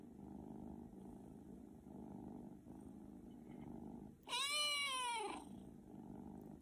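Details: A house cat lets out one clear meow lasting about a second, its tone arching upward then sliding down, after several seconds of soft low rumbling.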